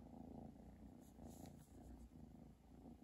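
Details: Steady low purring from Chi, a pet cat, at Christmas: a continuous soft rumble with rhythmic breathing pulses, close and quiet, with a faint high background hiss.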